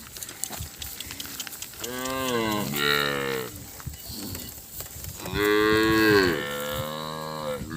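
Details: Calves calling out, separated from their mothers, Thailand: two bawling moos, the first about a second and a half with a short second part, the later one longer and strongly harmonic, over busy background rustle.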